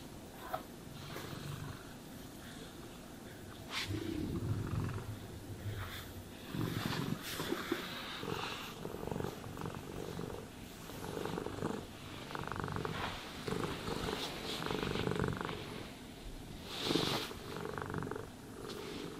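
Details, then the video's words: Domestic cat purring while being brushed and groomed, a low rumbling purr pulsing steadily under louder brushing strokes and rustling that come and go through the recording. "Cats Purring Sounds for Sleep and Stress Relief | Cat Brushing, Cat Grooming"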